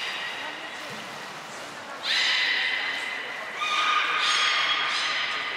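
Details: Port of Nagoya Public Aquarium, Japan, 23 February 2021: captive belugas Hodoi, Taanya and Mirai during pool transfer and training; quiet opening, then a sudden loud harmonic squeal and a second, lower steady whistle following.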